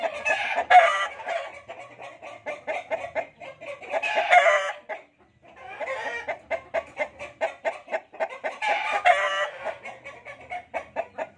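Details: Fighting cocks kept for sale: several harsh, harmonic crowing bursts about a second long near the start, middle and end, between dense runs of rapid clucking pulses, with a man's voice briefly heard.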